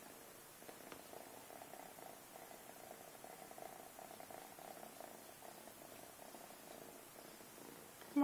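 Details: Domestic cat grooming its kittens, purring steadily and softly for several seconds without a break; a woman's voice talks quietly nearby in an indoor room.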